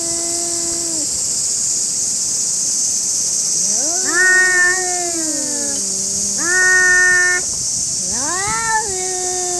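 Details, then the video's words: Angry stray cats fighting in a park in Japan: drawn-out, wavering harmonic yowls that rise and fall, several long moans trading back and forth with short pauses, over a steady high-pitched insect drone. "Stray Cats Fighting in the park"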